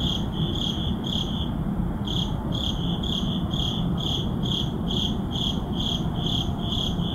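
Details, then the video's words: At midnight in a city neighborhood, crickets repeat high, clear chirps in an even rhythm, a short gap near two seconds, while a low continuous urban drone fills the background. "Urban Midnight Crickets"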